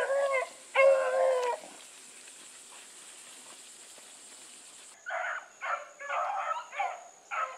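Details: Hounds baying while Sassy runs with the Blueticks; two long ringing bays open, a quiet gap follows, then a burst of shorter, choppier hound cries repeating roughly every half second.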